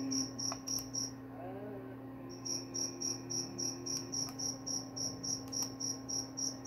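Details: A cricket's shrill, high chirps fall silent for over a second early on, then resume in an even run of about three to four pulses per second over a low steady hum and a few faint clicks.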